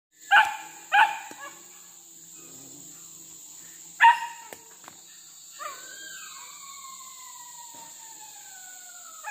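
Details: Village dogs hunting as a pack for monkeys in trees and along a riverbank, where the monkeys raid fruit gardens and fields. Three sharp, harmonic barks come in quick succession, then a long, falling whine-like tone over a steady high insect hiss.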